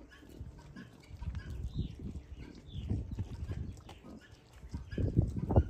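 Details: Wild boar piglets relaxing at a farm give low, muffled grunts and snuffles in uneven bursts that grow louder toward the end, with a few faint high chirps in the background.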